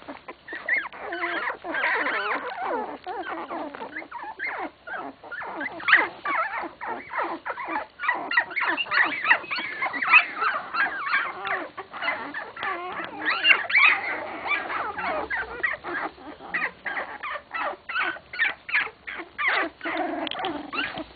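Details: Sixteen-day-old English Cocker Spaniel puppies from a kennel litter, squealing and whimpering almost nonstop in overlapping high, wavering cries, several voices at once, with brief quieter gaps.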